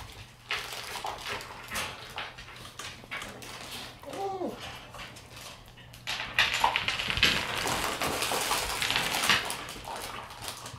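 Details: Red Shiba Inu male puppy born September 14, normally timid but bold this time, making an odd short wavering whimper midway, amid scratching and rustling noises that grow busier toward the end.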